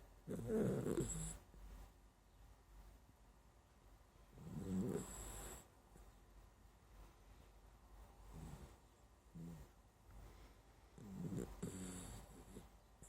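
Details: Deep, gravelly snores from a dachshund fast asleep, drawn-out rattling inhales around every four seconds, each ending in a soft wheezy hiss, then quiet breathing before the next.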